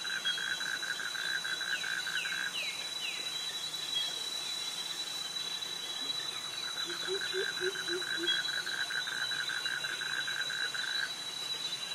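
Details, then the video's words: Cicadas and crickets in tropical jungle near mangroves in Krabi, Thailand: steady high shrill drones hold throughout, a pulsed buzzy trill runs through the middle range, and brief sliding chirps and low soft pulsing notes come and go. "Cicadas Virtual Walk Through Jungle - Krabi - Thailand with Cicadas and Crickets Sounds"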